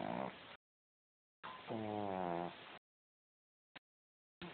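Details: A domestic cat snoring: a low, droning sound with stacked tones, held for just over a second, between abrupt stretches of silence.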